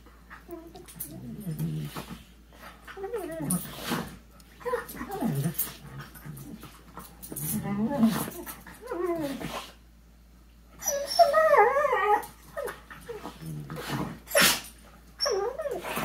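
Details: Macy and Lilly, two dogs play fighting while seated on a couch, nibbling at each other's faces; bursts of wavering growls and whiny, rising yelps repeat through the play, with breathy pauses and some human voice indoors.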